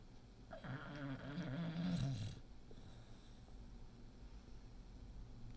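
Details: Awake female English Bulldog, six years old, gives one drawn-out, low, gurgling snort lasting about two seconds, then only faint breathing and room hush.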